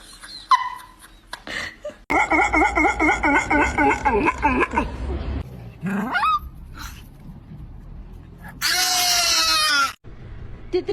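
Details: Pet dog making unusual comical noises: a run of quick, wavering, whiny yelps repeated in a wobbling rhythm for a few seconds, then a rising squeak, a burst of shrill screeching, and brief human voices and laughter.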